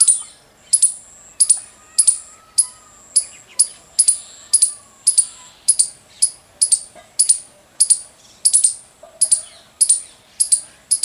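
A squirrel chirps over and over: shrill, clipped notes in a steady, insistent rhythm, each one sharp and high. A faint low hum and a soft, distant whistle sit far beneath the calls.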